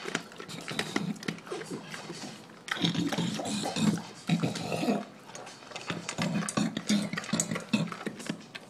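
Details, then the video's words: English Bulldog named Shaft gulping down his dinner, with a steady run of chomping clicks mixed with low snorting grunts and a louder, busier stretch in the middle. "Shaft our English Bulldog inhaling his dinner"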